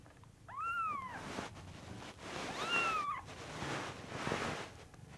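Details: Kitten from the FANTARJA cattery, named DO-E, giving two rising-then-falling meows about two seconds apart, followed by a fainter third attempt amid background rustling.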